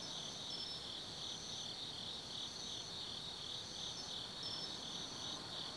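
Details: A night chorus of autumn insects in the forest of Tsukimi no Mori, Kaizu, Gifu Prefecture, overlooking the Nobi Plain: continuous shrill trilling that throbs gently, with higher ringing trills breaking in every second or so.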